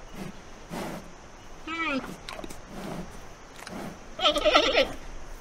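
Giant panda giving two wavering, goat-like bleats, a short one and then a louder, rougher one a couple of seconds later, over a soft background hiss.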